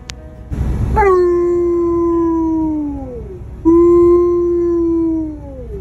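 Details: An Alaskan Malamute gives two long, steady howls that sag in pitch at the end, described as emotional crying on the way home after his first visit to a house where a canine companion had died.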